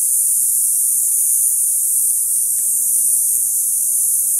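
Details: Cicadas in a mesquite tree after sunset on a summer night in a residential neighborhood. The collective roar is a loud, unbroken, very high electric-sounding drone with no pauses, nearly deafening and constant in volume.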